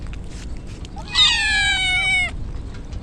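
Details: One long, high, strained meow from a wet stray kitten in typhoon rain, Japan, held about a second with a steady, slightly falling pitch, rich in harmonics, against soft rain hiss.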